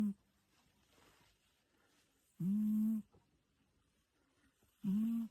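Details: Sleeping cat snoring in low, humming, harmonic bursts of about half a second. They rise slightly at the start and come roughly every two and a half seconds, with near silence between.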